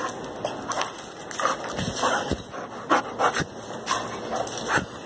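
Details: Boxer dog playing and showing joy at seeing its owner, as it does every day: a series of short excited yelps, barks and whines, roughly two to three a second, with a person calmly speaking Portuguese nearby.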